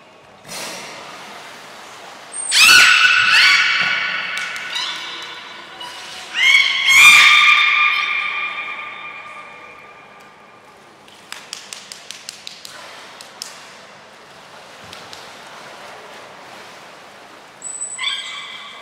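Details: Belugas Gray, Nana and Mirai during a training session at Port of Nagoya Public Aquarium, 7 June 2022, indoors: two loud harmonic, squealing calls near three and seven seconds, then a rapid series of clicking pulses and a final brief whistle-like tone.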